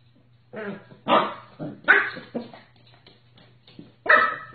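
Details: Corgi barking in a series of short, harsh barks with rising and falling bursts, five or six separate barks over a few seconds, in a small indoor room with a low steady hum underneath.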